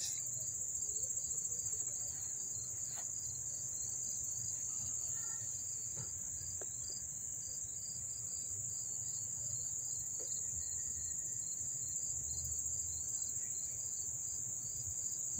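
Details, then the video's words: Crickets chirping up close in Dobbs Ferry, New York, on August 1, 2014: a continuous shrill high-pitched trill, with a slightly lower pulsed chirp repeating steadily over it for the whole stretch. "the chirping of the crickets"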